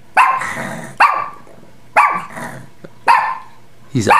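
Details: Alert after waking from an afternoon nap, pet dog Bailey barks repeatedly at a noise, five forceful woofs roughly a second apart, each trailing off briefly, indoors with quiet room tone between.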